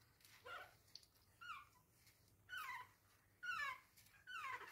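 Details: Indoors, a Chihuahua puppy that cannot get back into bed lets out soft, separate whimpers, each a brief falling squeal, spaced roughly a second apart in a quiet room.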